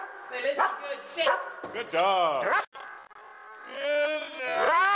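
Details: Dogs said to be attacking a person with a broken foot: high, arching whines and yelps, some drawn out and wavering, mixed with a woman talking to them and telling them to go play.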